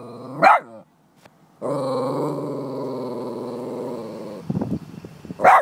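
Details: Boston Terrier facing goats it hates: a sharp bark, a brief pause, then a long sustained buzzing growl of about two and a half seconds, a few rough snorts, and another abrupt bark at the end.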